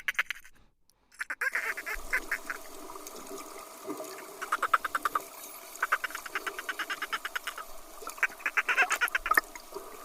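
Dolphin giving rapid, squawking bursts of pulsed sound, coming in quick runs like creaky quacks.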